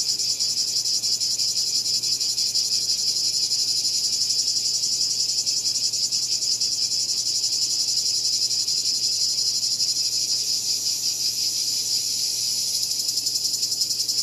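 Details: Cicada calling with a loud, dense, high-pitched buzzing drone that holds steady throughout, with a fine rapid pulsing texture and no other clear sounds.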